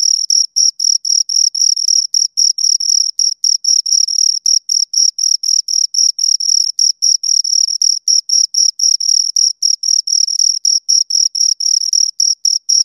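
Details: Continuous cricket chirping from two insects: fast, clean, high-pitched pulses several per second, steady in loudness and spacing, in otherwise complete quiet.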